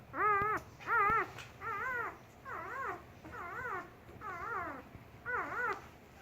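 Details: Four-day-old German Shepherd puppy: a steady series of high, arched whining squeaks, each rising then falling, about one every 0.7 seconds, over a soft room hiss.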